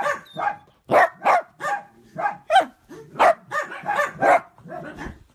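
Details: Miniature dachshund at play barking rapidly, about a dozen sharp, fairly high barks in quick succession, roughly two each second, with almost no pause between them and no other sound.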